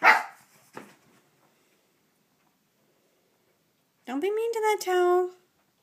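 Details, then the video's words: Indoors at bath time, Rusty the Shih Tzu grumbles angrily at his bath towel: a sustained, slightly rising, harmonic growl-whine of over a second near the end, after a sharp knock and a brief quiet spell. "Angry Shih-tzu"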